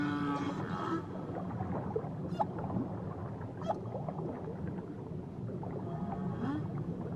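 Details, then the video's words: Whale in Tahitian waters: a brief harmonic moan at the start, then scattered clicks and faint tonal sweeps over steady low underwater rumble. "Nature Sounds Only Whales & Beaches"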